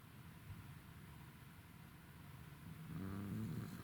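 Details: Roku, a tired Welsh Corgi, snoring on 28 November 2021: low, rumbling breaths repeat steadily, then swell near the end into a louder, droning, tonal snort.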